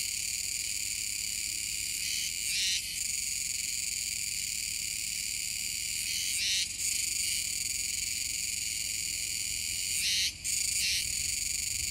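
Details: Chorus of Kuroiwa's cicadas by a river mouth in Nishinoomote on Tanegashima, recorded 7 September 2022; steady shrill buzzing fills the air, with brief pulsing bursts near 2.5, 6.5 and 10.5 seconds.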